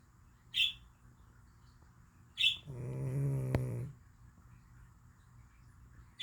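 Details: Cat snoring in deep sleep: short high squeaks, then a sustained low, buzzing snore of about one and a half seconds with a faint click, and more squeaks after a quiet gap.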